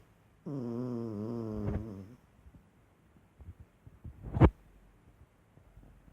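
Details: Sleeping pet dog snores with one low, buzzy, slightly wavering drone lasting under two seconds, followed by faint rustles and a single sharp knock.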